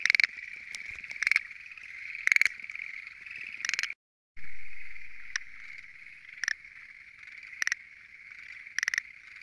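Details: A dense night chorus at a lotus pond, dominated by Schlegel's green tree frogs among five frog species present, a steady high drone punctuated by loud rattling calls.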